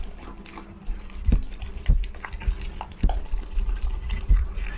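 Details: A fed pet dog eats with wet, smacking mouthfuls, soft slurps and licks coming in irregular bursts roughly every second or two, with quiet low background noise between.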